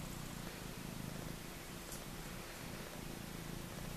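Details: Maine Coon mix kittens on day four, jostling at their mother's milk bar, with a soft, steady low purring rumble throughout, pulsing gently, and a faint rustle near the middle.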